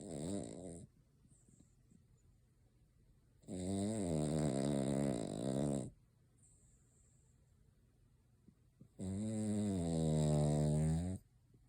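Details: Cavalier King Charles Spaniel named Noah snoring at Christmas, asleep with eyes open and nose twitching as if dreaming; three long rasping snores, each about two to three seconds, separated by quiet pauses, in a small indoor room.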